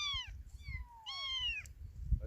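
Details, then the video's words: Orphaned kitten that has lost its mother, crying in three clear, high, drawn-out meows that slide downward in pitch, with a faint low rumble of background noise. "엄마잃은 아기 고양이"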